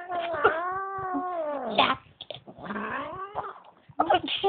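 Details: Bengal cat Kimiko at home, angry that another cat, Kameron, was brought into her house, gives drawn-out wavering yowls with strong harmonics, rising then falling, twice in quick succession, with a woman talking softly in the background.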